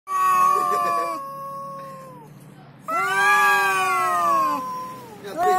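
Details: Domestic cat yowling while facing a rival, the fight involving head-butting: two long, drawn-out harmonic wails, the first steady then sagging, the second rising and falling over about two seconds, with a short cry at the end.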